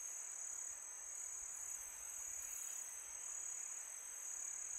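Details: Night crickets on a calm summer evening, their thin high trill ringing on without a break above a low, even rush of wind.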